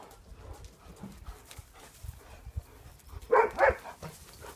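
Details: German Shepherds in a pack; two short, loud, harsh bark-like bursts in quick succession near the end, following a stretch of low rumbling background noise and soft scuffling.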